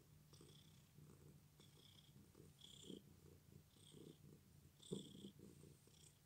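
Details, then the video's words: Pet cat with an injured leg purring steadily indoors, a low rumbling pulse with soft rhythmic breaths, plus faint higher hissy snuffles at intervals. "My cat's leg is injured but he still purrs"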